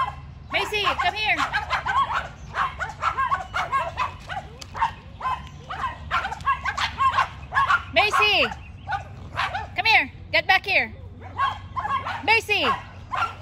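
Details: Macy the Yorkie in a barking battle with the neighbour's two dogs, a dense run of rapid high barks and yelps, several with sliding, falling pitch, packed close together for over thirteen seconds.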